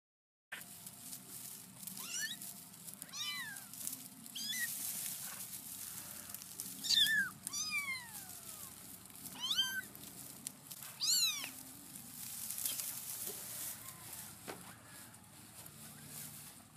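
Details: Kittens meowing while a Black Australorp hen acts as their mother and stays protective of them; repeated high, thin mews with rising-then-falling pitch, several overlapping callers every second or so, a low rumble beneath.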